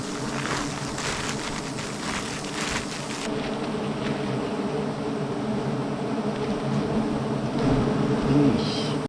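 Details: Steady, thick droning hum of honey bees, unbroken and even throughout, with faint wind-like hiss.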